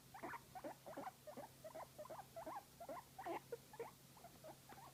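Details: Pet guinea pig enjoying a massage, giving a run of short squeaky, chirping notes, roughly two or three each second in uneven rhythm, over a steady low background hum.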